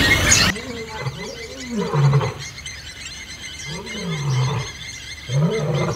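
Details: Wild old male lion battling young males that refuse to give up their territory, Kruger National Park near Kambaku River Lodge: deep, throaty growling roars in three drawn-out, rising-then-falling surges a second or two apart, with faint birdsong behind.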